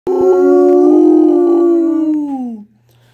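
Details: Great Pyrenees dog singing along to an acoustic cover song: one sustained, tonal, harmonic-rich howl of about two and a half seconds. It holds a steady pitch, then slides downward and fades at the end.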